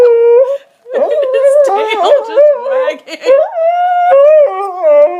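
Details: Indoor tantrum from Sully, a dog whose bone went under the sofa: warbling, whiny howls that wobble in pitch mix with a woman's overlapping chatter in a small room.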